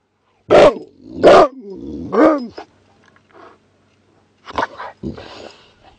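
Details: Whippet giving three loud, ringing barks about a second apart, the third drawn out and falling in pitch, then a lull with faint sounds and two more short barks near the end.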